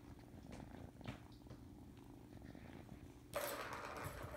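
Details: Domestic cat purring indoors in a kitten nursery, a low, steady rumbling throb with soft rhythmic pulsing, cut off near the end by a sudden loud rustling burst.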